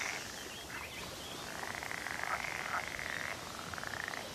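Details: A male northern pool frog at a reintroduction site in Norfolk, UK, calls on a sunny morning in the May–June season with a fast, buzzy rattle of pulses lasting a couple of seconds, then a shorter burst, to attract breeding females.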